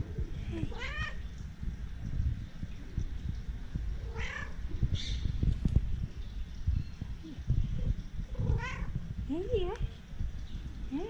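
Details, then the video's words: Several short, rising-and-falling cat meows scattered through the stretch, fairly quiet against steady low rumble, with a person talking in between. "Funny Cats And Kittens Meowing"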